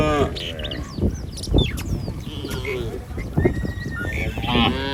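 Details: Cattle herd roaming a village street, low harmonic moos at start and end, amid chirping birds and background noise.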